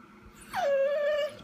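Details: Vizsla named Chica waiting indoors for its owner, recorded 12/18/14: one clear whine that slides down quickly, then holds a steady, slightly wavering tone for under a second before fading.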